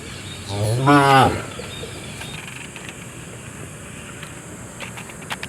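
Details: Cow lets out one loud, harmonic moo early on, wavering slightly before breaking off, followed by quiet background noise with a few faint clicks.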